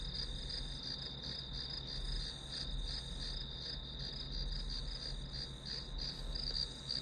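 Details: Grass insects singing as white noise for a study session: a steady high ringing trill with faint pulsing beats on top, over a constant low hum and rumble.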